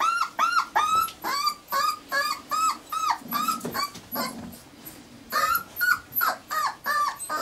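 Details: Four-week-old Irish Terrier pups give a run of high, rising-then-falling whimpers and squeals, repeated roughly every third of a second with a short lull midway before resuming.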